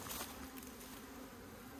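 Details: Honey bees at an opened hive kept by beekeepers in Meilin, Puning, Guangdong, China, where little honey remains in the combs. A steady low hum holds a constant pitch throughout, with a short scrape near the start.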